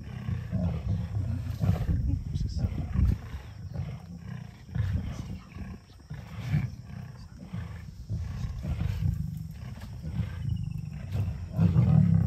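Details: Hungry lions from a small breakaway group of the River pride fight over a freshly killed steenbok flushed toward them by African wild dogs: deep, rumbling growls and snarls come in irregular bursts, with rough low grunting throughout.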